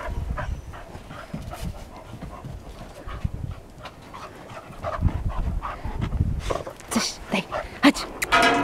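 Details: A dog breathes in quick, uneven panting bursts while a person speaks to it in Polish with short commands. Sharper breathy bursts and rustling grow louder toward the end.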